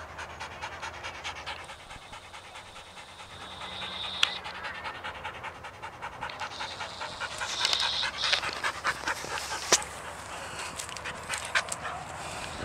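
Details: Sadie, a pet dog, excited and jumpy over an unseen squirrel: rapid, irregular breathy panting with occasional thin high whine tones, growing louder and busier in the second half.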